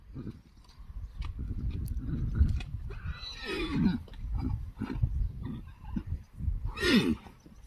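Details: Friesian horse in a herd whinnies in greeting to a person: two short, rising-then-falling neighs a few seconds apart, set against a steady low rumble, shuffling hooves and thuds.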